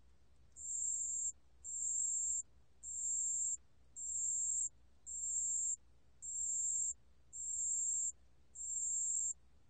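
A pale bell cricket sings very high, bright trills in steady bursts, each lasting under a second.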